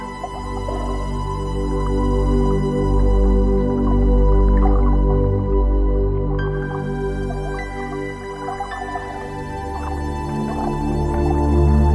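Layered ambient music with sustained tones and soft dripping accents, with no animal voice.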